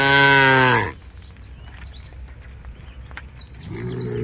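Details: Cows from a tame herd on their way to a field at the forest's edge: a loud moo cut off after a second, a quiet gap with scattered bird chirps, then another deep moo beginning.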